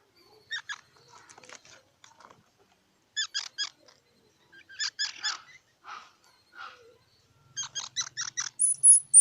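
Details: Squirrel calling in scattered groups of short, bright squeaky pulses, bursts of three to five notes separated by gaps, ending with a faster run and a thin high whistle.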